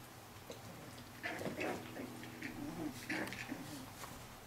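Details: Four-week-old Pyrenean Shepherd puppy Cilène, among her brothers, makes low, soft grunting whines in two short bursts about two seconds apart, over faint indoor background noise.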